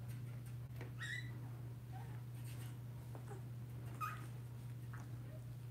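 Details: Tiny high squeaks, some rising, scattered across a steady low electrical hum, from two-week-old blenheim Cavalier King Charles Spaniel puppies, a litter of five born at New Year in an indoor pen.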